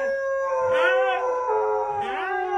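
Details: Husky giving a drawn-out tonal whine with wavering pitch, rising and falling smoothly over about two and a half seconds, with music playing underneath.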